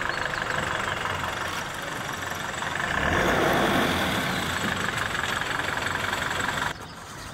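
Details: A vehicle engine idles and rumbles throughout, swelling briefly in the middle before dropping away near the end. No animal calls rise clearly above the motor noise.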